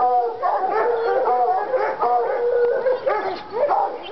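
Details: Treeing Walker Coonhounds in North Carolina, Lady and Cooper, excited by a coon skin; long ringing howls hold a steady tone then fall, overlapped by a second dog's shorter bawls, voices blending continuously.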